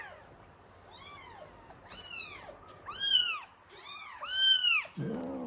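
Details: Norwegian Forest Cat kittens crying for milk at a cattery: loud arched meows roughly once a second, each rising then dropping, several overlapping callers, ending with a short low rustle.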